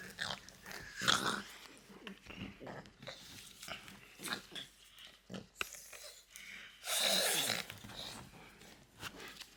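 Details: Loki, a pet French Bulldog, makes odd noises indoors: wheezy snorts and snuffling grunts in short bursts, ending with a long, loud rasping blast. A person's voice is faintly heard at times.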